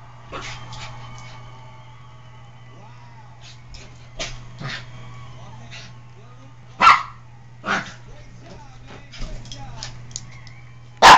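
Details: Oscar, a pet dog full of antics and bothering another dog named Abby, barks several times in short sharp bursts spread across the stretch, with quieter yips and shuffling sounds between them over a low electrical hum.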